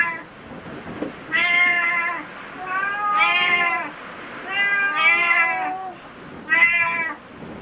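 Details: Cats in a cat cafe meowing four times in steady sequence, each meow about a second long with a bright, slightly arched tone, followed by a shorter fifth call.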